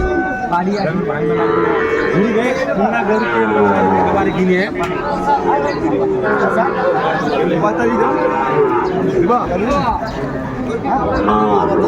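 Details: At Ambari market on 29 April 2024, Sahiwal bull calves low while a buyer from Faridpur looks on; a string of curved, harmonic moos mixes with loud chatter and voices calling out numbers.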